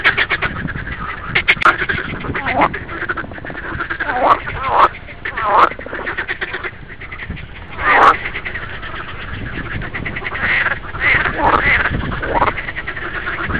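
Green frogs croak in a busy chorus of rapid, rattling, duck-like quacks.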